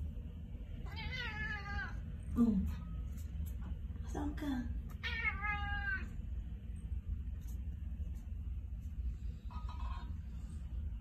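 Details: Persian cat that seems to want to say something gives two long, wavering meows several seconds apart, with brief human voice sounds between them and a constant low hum.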